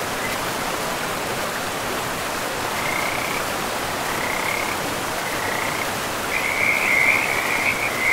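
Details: ['Frogs calling beside a river in a pristine, moss-covered forest. Short high trills repeat in bursts, then merge into a louder, continuous trill near the end, all over the steady rush of the river.']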